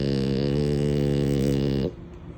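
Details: Mini, a female French Bulldog, snores while napping: one steady, deep, droning snore lasting nearly two seconds, with a rich stack of low tones, before it cuts off into quiet.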